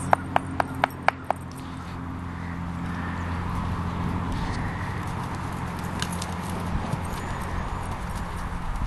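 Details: Hooves of a gentle ridden mare that stops when told and can be ridden with slack reins. Five sharp, evenly spaced clops open the recording, then give way to a steady low rumble with a few faint distant ticks.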